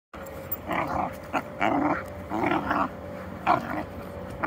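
A Basenji gives short, wavering, throaty yowls in uneven bursts, roughly one each second.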